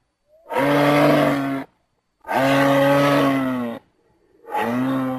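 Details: Low, raspy moose moans, steady in pitch and about one to one and a half seconds each, given three times with short gaps between them.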